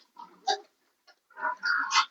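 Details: Sow that has not come into heat gives short nasal oinks: a brief buzzy squeal near the half-second mark, then a longer, louder run of harsh, rising squealing grunts at the end.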